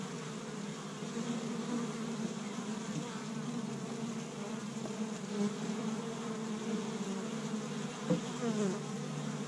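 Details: Many honey bees working an established Michigan hive in spring, first warm day, collecting tree-bud pollen; continuous layered buzzing hum with slight wavering pitch and a brief tap near the end.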